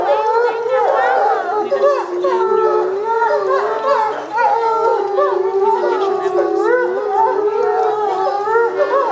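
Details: Timber wolf pack, with visitors present, howling together on the leader's cue after his squeaking signals; many overlapping voices rise and fall in wavering, sliding howls, forming a dense continuous chorus throughout.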